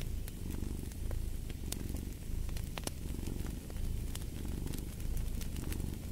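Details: Domestic cat purring steadily in deep low rumbles that swell and fade about once a second with each breath, while a fireplace pops and crackles sharply throughout.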